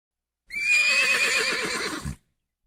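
A horse gives one loud neigh lasting under two seconds: it opens high and bright, then shakes into a rapid quavering whinny before stopping abruptly.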